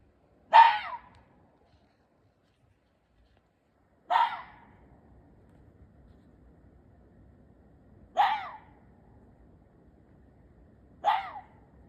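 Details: Ezo red fox giving four short, harsh, breathy calls spaced about four seconds apart, each a brief rasping burst with a quick falling tail, over a quiet background.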